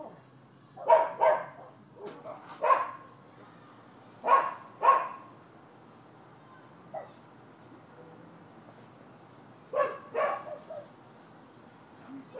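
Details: Barking from the neighbors' dogs at a Florida property on 12/7/15: loud doubled barks near the start, several single and paired barks spaced a second or two apart, a lull, then another burst of barks.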